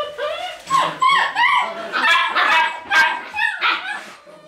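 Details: A dog gives a string of high, wavering yelps and whimpers. Each note bends sharply up and down and comes in quick, uneven bursts. Soft human voices sound in the background.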